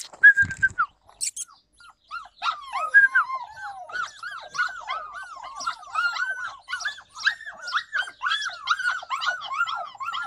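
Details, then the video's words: Yakutian Laika recorded in July 2020: after a few scattered sharp sounds, a long dense stream of quick, arching whines and yips follows, overlapping and tumbling over one another without pause. "Yakutian laika"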